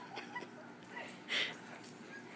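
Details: Two dogs, Dudley and Fred, playing indoors, one getting carried away; short high whimpering yips and snuffling breaths, with one louder squeal near the middle against a quiet room background.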